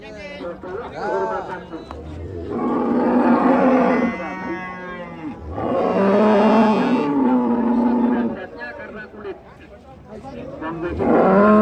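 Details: A cow lows in two long, drawn-out moos, each lasting a second or more with a steady, deep pitch, separated by a brief pause, with voices in the background and another moo starting at the very end.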